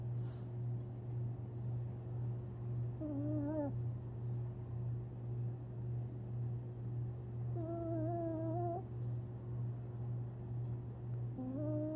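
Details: Tinkerbell, a Long Haired Chihuahua, asleep and dreaming on April 17, 2021, gives three short whiny whimpers, wavering and slightly rising, spaced several seconds apart over a steady low indoor hum.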